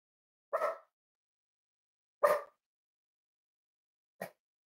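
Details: Cavalier King Charles Spaniel indoors at a home raising emotional support dogs, on a warm Friday morning; three short barks about two seconds apart, the last softer and clipped, in a quiet room.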